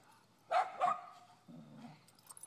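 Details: A dog gives two short, sharp barks in quick succession, followed by a low murmur and faint rustling in an indoor setting.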